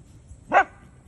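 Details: Single short, bright yip from a Doberman Pinscher puppy inviting a mini donkey to play, rising sharply and falling away within a fraction of a second against a quiet background.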